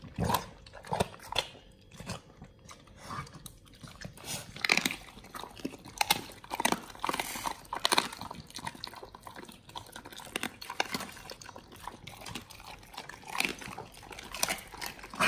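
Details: Pit Bulls eating raw frog legs, soft shell crab and duck feet indoors: sharp wet crunches and bites come in irregular bursts, some loud snaps between quieter gnawing and smacking in a small room.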